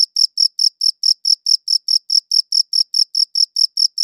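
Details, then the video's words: Steady chirping of crickets: bright, high, pulsed notes repeating evenly a little over twice per second, each chirp short and clipped, against complete quiet. "Cricket Chirping Sounds"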